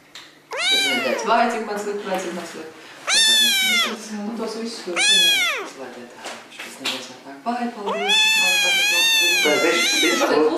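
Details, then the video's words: Little kittens meowing to get their owners' attention: four loud, drawn-out meows, each with an arched rise and fall, separated by quieter murmuring sounds in a small indoor room. "Little Kittens Meowing Compilation"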